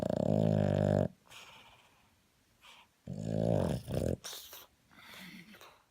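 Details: A 3.5-year-old male Boston Terrier naps, snoring in loud, rattling, low-pitched bursts separated by quieter breaths.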